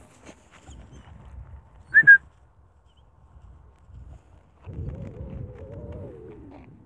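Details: Stray puppy left in fields far from a village, 500 meters from a busy street, found during a daily run and given food and water: a short double whistle, then a drawn-out wavering whine that rises slightly and falls away, over soft rustling.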